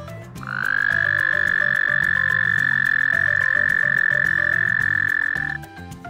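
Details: A toad gives one long, steady, high musical trill lasting about five seconds over soft background music; toads are bumpy, dry, hop like frogs and prefer living on land to water.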